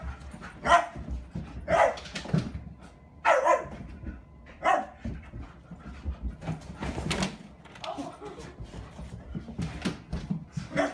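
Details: A German Shepherd named Skottke romps with a new puppy at home, giving four gruff barks roughly a second apart, followed by scuffling, thumps and rumbling movement noise as the play goes on.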